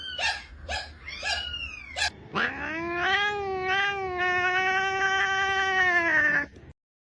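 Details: Domestic cat from a funny cat sound compilation: several short rising meows, then a long, drawn-out wailing yowl lasting about four seconds, first rising and then slowly falling, before it stops abruptly.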